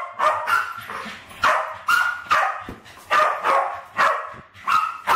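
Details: West Highland White Terriers Alfie and Crystal, about 7 and 8, play at killing balloons indoors in a kitchen, 2012; excited, shrill barks fire off irregularly in quick pairs and single yaps.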